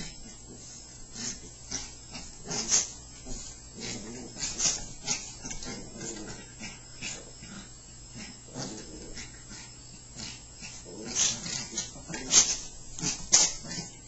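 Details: Two playful Chihuahuas wrestling, with low rough growls and snarls rising and falling irregularly over about fourteen seconds, plus scuffling, sharp clicks and brief yips throughout.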